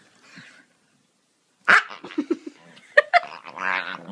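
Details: A Staffordshire Bull Terrier gives short grumbling yips and whines in quick bursts while playing and having his belly rubbed.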